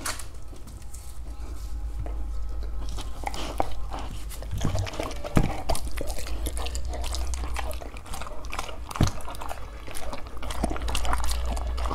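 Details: Close wet chewing, crunching and dripping sounds fill the recording, with faint speech and no clear animal call.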